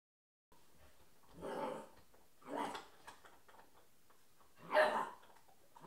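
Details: Puppy playing with and barking at toy balls indoors; three short, broad barks at about 1.6, 2.6 and 4.9 seconds, the last loudest, with quiet room noise between.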